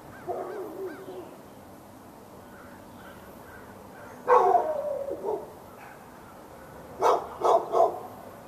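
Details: Raleigh, North Carolina dog behind a fence on February 15, 2012, barking at the dog next door. Wavering tonal sounds open the stretch, followed by a drawn-out howl-like bark and a closing burst of three quick barks.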